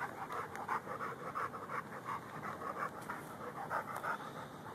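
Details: Rhodesian Ridgeback and Bull Mastiff mix dog panting while digging for gophers, recorded on a Samsung Galaxy S3 phone; quick rhythmic breathy pants, roughly three per second, steady throughout with faint background hiss.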